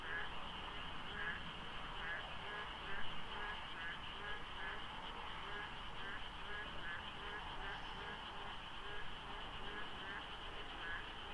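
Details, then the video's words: Many frogs, or a few overlapping, croak through the foggy pre-dawn darkness at Deokso IC during the rainy season. Quick repeated croaks and trilling higher notes stack into a thick chorus, with one brief louder thump and distant road noise. "장마 중인 새벽 고속도로 덕소IC에 어둠을 가득 채운 개구리 소리"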